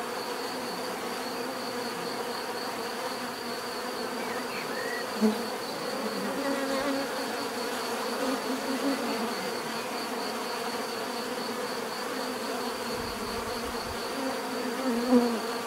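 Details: Continuous drone of many bees, a thick low hum with a thin steady high whine over it, a couple of brief louder passes near the middle and end, and a short chirp early on.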